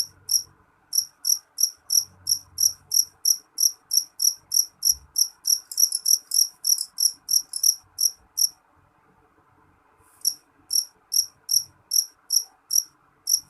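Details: Loud, shrill jangkrik jeliteng cricket chirps in a quick, even run of about three per second. They bunch tighter and louder for a moment, pause near the end, then start again at the same pace.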